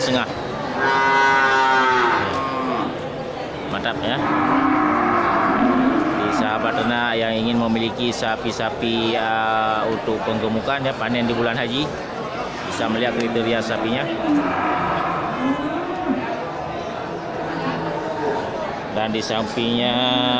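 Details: Many big local bulls crowd the Geulumpang Payong animal market on 8 May 2021, grass-fed and ready for slaughter; repeated deep, harmonic moos overlap one another, some long and level, some bending down, over constant human chatter.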